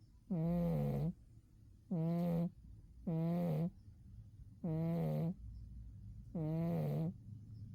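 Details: Sleeping cat Umi snoring through a winter doze, five rough harmonic snores coming about every one and a half seconds, slightly uneven in spacing, each ending with a faint dip in pitch.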